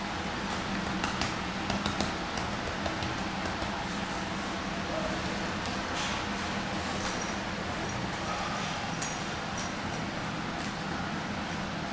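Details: Steady broadband hiss runs throughout, with scattered sharp clicks and faint voices but no animal calls.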